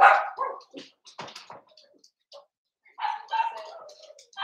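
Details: Seven-week-old blenheim Cavalier King Charles Spaniel puppies in their indoor pen: a yappy bark at the start, scattered clicks and knocks, then a stretch of mixed whining yips.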